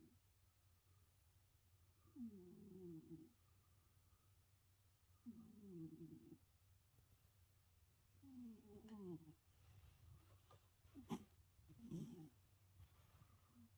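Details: Sleeping cat snoring in slow, rough, rattling breaths roughly every three seconds, five breaths in all, with a few faint clicks and rustles near the end over a low background hum.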